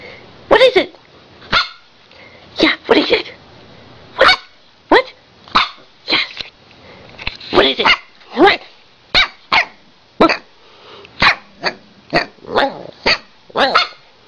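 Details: A Siberian Husky gives a run of sharp, short barks, one after another, as if trying to tell her owner something, while the owner talks back; finding: Siberian Husky.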